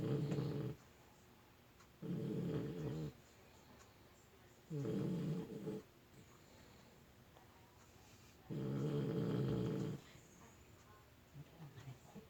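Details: Sleeping puppy snoring steadily: four long, deep, rumbling snores, each lasting about a second or more, repeat roughly every three to four seconds with quiet breaths in between.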